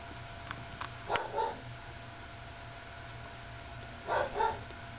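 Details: Sleepy nursing pup, number three in Lacey's litter, gives two brief squeaky whimpers close together near the start, then a matching pair about three seconds later, over a steady low room hum.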